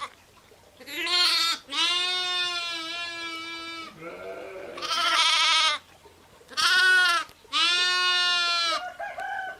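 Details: Sheep, ewes and lambs, calling: a run of long, loud, quavering bleats, several over a second each, with short gaps, one lower rougher voice in between, and a short final call.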